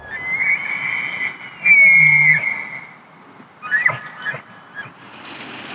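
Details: During the rut in the Canadian Rockies, a bull elk bugles a long, high, whistled note over a deep grunt, then gives short chuckling calls.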